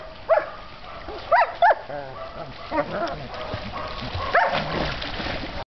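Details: German Shepherd puppy while swimming: brief high yelping whines, three near the start in quick succession and one later, over a steady noisy background.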